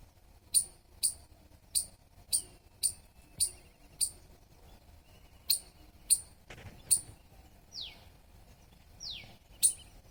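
A squirrel gives sharp, high-pitched chirps, repeated about twice a second with brief pauses.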